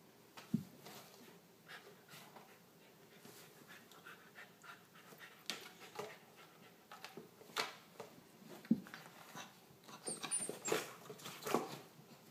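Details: Corgi puppy Emrick playing with a small ferret named Shanny at 1:30 at night after nearly an hour of roughhousing; soft, quick breathy pants mixed with irregular scuffling taps and thumps, one sharper knock near the start.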